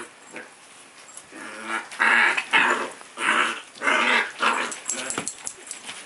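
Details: Playful puppy letting out harsh, throaty growls in four or five strong bursts, each lasting about half a second, with quieter rasping between them.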